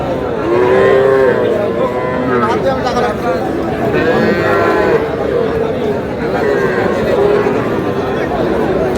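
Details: Small bull calves being bought by a farmer at a Kushtia market in Bangladesh, 23 June: several drawn-out, wavering moos, some rising and falling, over steady market crowd noise and men haggling.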